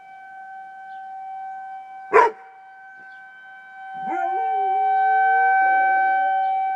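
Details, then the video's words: Riley, a dog, howling at a tornado siren: the siren's steady tone runs throughout, a single sharp bark breaks in near two seconds, then a long wavering howl rises and holds from about four seconds to the end. "Riley howling at the tornado siren"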